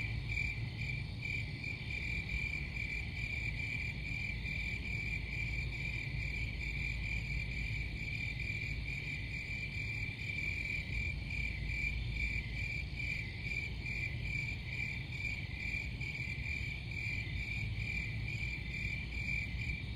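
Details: Crickets keep up an unbroken high, buzzy pulsing trill for the whole stretch, backed by a low, even background hum.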